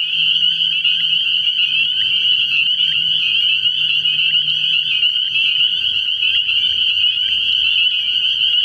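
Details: Nighttime frog pond early in the year, packed with spring peepers whose shrill, high peeps blend into one constant piercing wall of sound, and a soft low hum underneath that fades in the second half.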